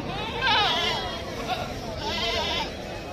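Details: Female goat, said to be possibly pregnant, at the Sunday riverfront goat market in Ahmedabad gives wavering bleats, a strong one near the start and another toward the end, over a background of traders talking and bargaining.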